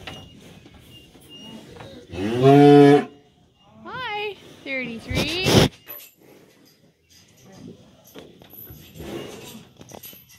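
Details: Cattle, cows and calves, being let out to green summer pasture on a farm: a long harmonic moo of about a second, then shorter rising calls, with a woman's cheerful voice talking to the herd.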